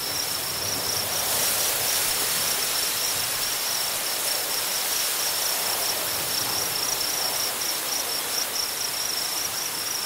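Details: On a prairie, crickets give a thin, steady, high-pitched trill that runs unbroken under the roar of very strong wind sweeping through the grasses.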